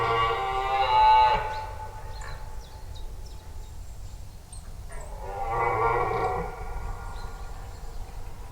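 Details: Red deer during the rut roaring in a forest, taped with a stereo setup with the animal off to one side rather than straight ahead: two long harmonic roars, one at the start and another around six seconds, over a steady low ambient rumble.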